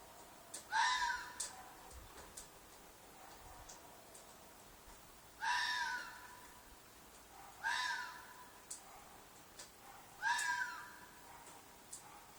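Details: A fox in a field behind an apartment screams repeatedly: four loud, hoarse, rasping shrieks roughly two to three seconds apart, each short and slightly falling, with soft clicks in between.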